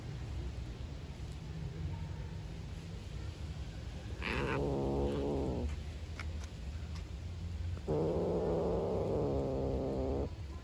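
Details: Hungry black stray cat living outside growls over food it will not share with a beige cat. Two long, low, rasping harmonic growls, the first lasting about one and a half seconds, the second close to two and a half, with quiet background between them.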